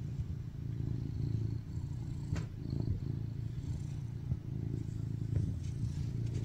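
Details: Male tuxedo cat BabyCharlie, rescued and very affectionate, purring on his owner while eager for cuddles; an almost continuous deep, throbbing rumble with only slight rises and dips and a few soft clicks.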